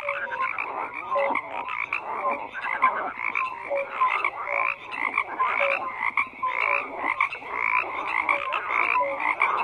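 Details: A thick chorus of many frogs, rapid rattling croaks layered on top of each other, with brief clear whistle-like notes appearing now and then amid the steady din.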